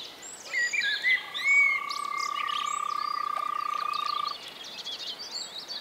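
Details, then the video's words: Frog calling in spring at a pond or wetland in the Czech Republic: a steady, fast-pulsed mid-pitched trill held for about three seconds, with high chirping birds singing around it throughout. "European frog calls"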